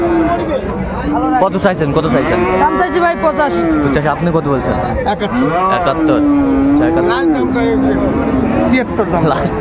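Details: At Amabari haat in Dinajpur on 19 April 2024, Friesian and cross-bred bull calves for sale. A drawn-out, wavering low moo sounds near the end, with shorter lowing earlier, all under constant human talk and market bustle.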